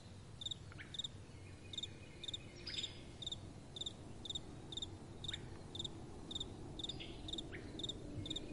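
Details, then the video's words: Night-time crickets chirping, roughly two crisp pulsed chirps each second, regular and ringing, with soft wind hissing low underneath and occasional brief swooping notes. "Relaxing Night Time Sounds | Crickets & Soft Wind"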